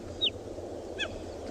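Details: Cheetah mother calling her cubs loudly on a morning safari drive in a South African game reserve, with a cub answering; two brief high chirps, the first a falling whistle-like note, the second a shorter stacked chirp about three-quarters of a second later, over low vehicle rumble.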